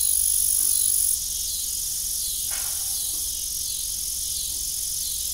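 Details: Steady, piercing cricket song fills an evening farm scene by a rusty old windmill, an even high-pitched buzz with one faint knock in the middle.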